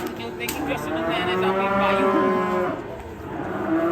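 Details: An agitated, raging cow gives a sustained, strained moo that swells in the middle and tapers off, preceded by a couple of sharp clicks and followed by fainter lowing.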